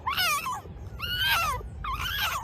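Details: Fox calling in a forest: three drawn-out, high, whining wails with wavering pitch, each lasting about half a second, separated by short pauses.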